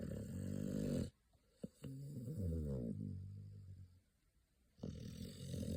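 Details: Sleeping American Pit Bull Terrier puppy, eyes rolled back, snores in loud rasping bursts at the start and end, with a quieter wavering, groaning breath and a few clicks in the pause between.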